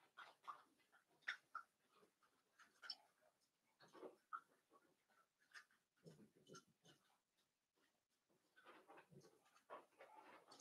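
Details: Blenheim Cavalier King Charles Spaniel puppies, a litter of five born at New Year, in an indoor puppy pen; soft whimpers and snuffling breaths come in scattered bursts, with small squeaky peaks among rustling.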